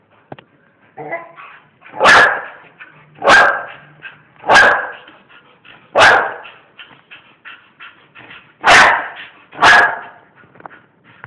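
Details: Pet bull terriers barking: six loud, sharp barks over about eleven seconds, spaced roughly one to two seconds apart, with softer yips and whimpering noises between them.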